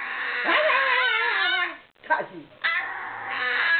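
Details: Deaf ten-year-old male miniature Maltese weighing under 1.5 kg, whining and complaining about a new outfit he hated: drawn-out, wavering, song-like whines that slide downward, broken by a short gap, then rising again.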